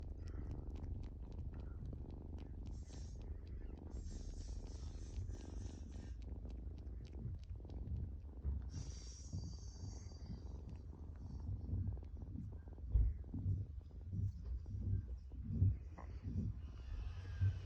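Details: Baby kitten purring while kneading, or making biscuits: a low, steady rumbling purr runs throughout, with soft scratching and rustling and a few brief higher noises.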